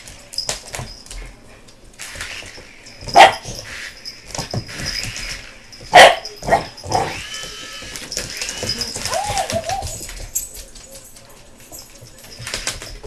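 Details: American Bulldog puppy BooBoo, excited by a passing helicopter, gives spaced single barks roughly every three seconds, with short yips after, then wavering whines near the end over a background engine hum.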